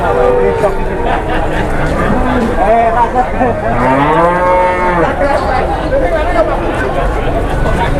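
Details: A cow, agitated while coming down off a truck, lets out an arching, strained moo in the middle of the recording amid a busy background of people chatting, laughing and calling out.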